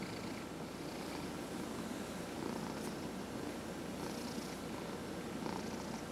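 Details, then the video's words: During a head massage, a 14-and-a-half-year-old male cat purrs continuously; deep, regular rumbling pulses hold steady in level, with a couple of faint soft rubbing or breath sounds overhead. "Cat Purrs During Head Massage"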